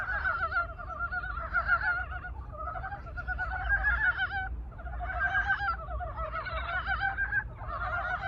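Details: Chorus of brown frogs just out of winter hibernation giving their longing love song; many overlapping harmonic, honking croaks in waves of roughly two seconds separated by short dips, over low-frequency rumble.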